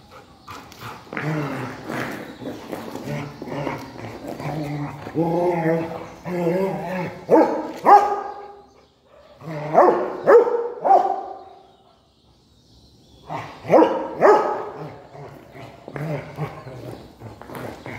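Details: A Rottweiler at play with a stone, producing groups of short barks and whining whimpers in bursts separated by quiet gaps, with human speech mixed in.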